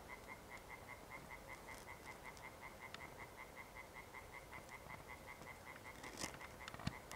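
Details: European tree frog evening chorus recorded 1 June 2021, quieter and more distant: a steady string of short, evenly spaced croaking pulses over a noisy background, with a few crackles and clicks near the end.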